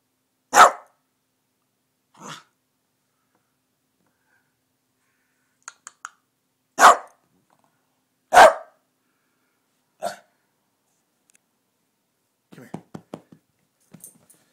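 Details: Pet dog at home, going after the cat, giving short sharp barks, a few singly, about six over fourteen seconds, with quiet clicks and soft rustling in between.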